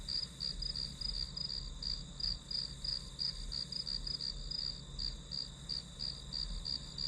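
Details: High-pitched grass insect chirping used as white noise for an hour of studying, with short ringing pulses in a quick, slightly uneven rhythm of roughly three per second above a soft low hum.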